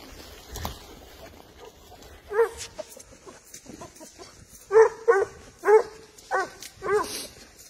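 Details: A Spanish hound gives short, ringing, mid-pitched yelps, its trailing bay while tracking and driving a wild boar.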